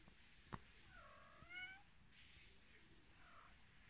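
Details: Mother cat with her kittens, found in Vratnik, Sarajevo: one soft, faint meow that rises and then falls, set against a light background hiss and a few small knocks.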